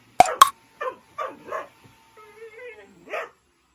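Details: Dobermann, a large dog that hates the vacuum cleaner, barking angrily at it: a few short harsh barks separated by pauses, with a brief whining tone and two sharp knocks at the start.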